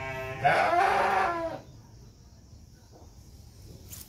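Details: Batur Merino sheep during lambing, as two lambs are born: a single drawn-out bleat, about one second long and richly harmonic with a wavering tone, followed by quiet farm background.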